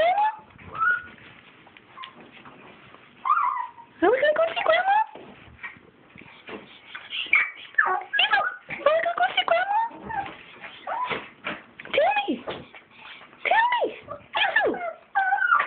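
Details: Chihuahuas excited at being asked about going to see grandma give high, sliding whimpers and whines, short bursts rising then falling, repeated throughout, while a person keeps asking whether they want to go.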